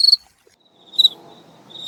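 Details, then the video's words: Garden cricket singing: short high pure chirps at the start and around one second, each a quick double pulse, with a faint thin tone trailing between and soft low background noise. "Cricket sound spectrum"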